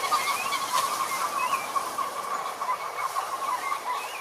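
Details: Many frogs in a pond chorus, a continuous dense buzz of overlapping croaks with a few higher rising chirps standing out over it.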